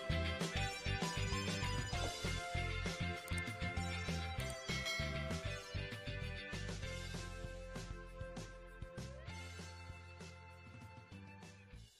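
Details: Steady instrumental music with a strong low bass pulse and plucked guitar-like notes, loudest at the start and fading gradually; no animal voices stand out.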